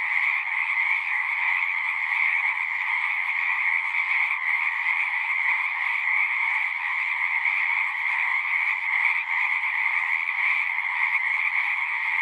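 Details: Frogs singing at a pond in a horse pasture, recorded on a Zoom 6: a dense, unbroken chorus forming two steady bright bands, a middle trill and a higher shimmer, holding even loudness throughout with no gaps.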